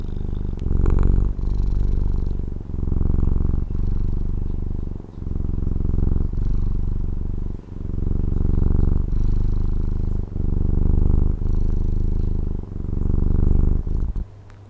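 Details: Loud, continuous purring from a pet cat in Taiwan: a deep, buzzing rumble in rhythmic bursts about every second and a half, each breath marked by a short gap, fading at the very end.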